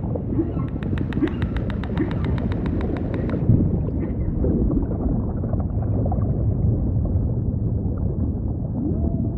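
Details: Humpback whale sounds in ocean ambience: a rapid train of sharp, evenly spaced clicks for about three seconds, then faint low moans under a constant deep rumble.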